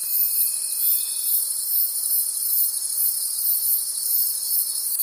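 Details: Crickets calling at night in a forest, a dense high chorus of continuous shimmering trills with a steady pulsing beat, plus a thin sustained tone lower down in the first half.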